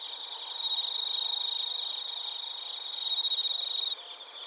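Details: Crickets and bell crickets in Narita, Chiba, Japan, recorded with a TASCAM Portacapture X8: a loud, piercing, steady high trill with fast pulsing chirps swelling twice, then cutting off sharply near the end, leaving a quieter ringing chorus.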